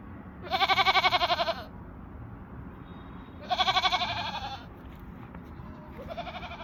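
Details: Barbari goat on a farm in Gorakhpur giving loud, wavering, vibrato bleats: a long one lasting about a second, a second after a pause, and a shorter third starting at the end, over a steady low background hum.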